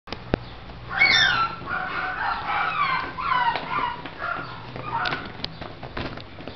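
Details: Miniature Shih Tzu whimpering: a run of high, bent whines that rise and fall in quick succession, several falling sharply, with short breaks and a soft click near the start.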